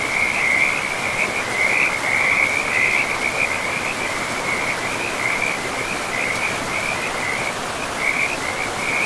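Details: Frogs calling along a forest river among trees and moss, a loud continuous high-pitched trill that swells and dips in quick, uneven pulses, standing clearly above a softer background wash of running water.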